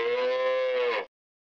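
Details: One cow moo of about a second, steady and tonal with many harmonics, fading out quickly into silence.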